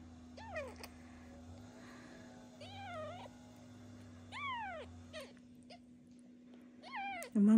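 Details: Orphaned newborn kitten being bottle-fed with a syringe-bottle every two hours while raised beside a foster mother cat; thin, high, arched meows, four or five spaced a second or two apart, over a steady low electrical hum.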